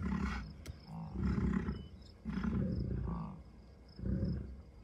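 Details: Low, gravelly grunts from American bison at Rocky Mountain Arsenal Wildlife Refuge near Denver, Colorado, June 2, 2022, where cows, a few bulls and dozens of calves graze; four drawn-out rumbles about a second apart.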